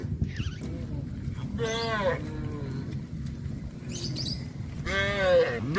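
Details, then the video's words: Cows of a traditional village farm on their way back to the barn. Three short, wavering moos stand out against a continuous low rumble of movement and background noise. "Sound of cows"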